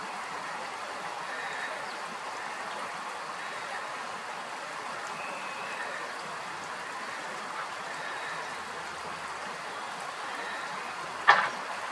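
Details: Steady rushing noise like running water fills the recording, broken only by a single sharp knock near the end, with no animal calls.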